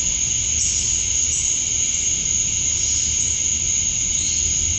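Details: Summer-dusk chorus of male cicadas calling for females in Georgia, USA: an unbroken, hissing high whine holding one sharp pitch, with a broader buzzy layer below, steady in loudness the whole time.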